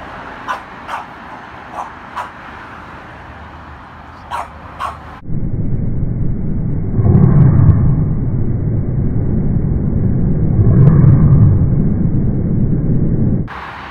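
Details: French Bulldog named Carlo bullying and fighting with his brother; a few sharp clicks and yips early on, then long, low, rough growling that swells twice, around seven and eleven seconds.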